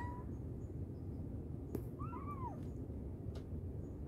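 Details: A mother cat calls to her kittens: one clear meow that rises and then falls in an arch lasting about half a second, over steady low background rumble.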